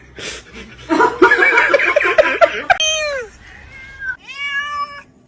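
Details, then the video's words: Cats meowing amid people's laughter: a rough, wavering cry, then two clear, falling meows, with a person laughing and talking in the background. "cats meowing"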